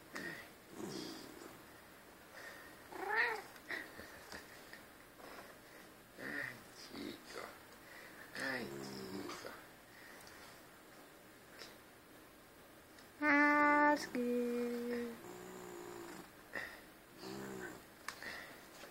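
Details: Albino pet cat said to "talk", indoors with another cat and two family dogs; scattered bending meows among people chatting, plus a sustained steady tone midway.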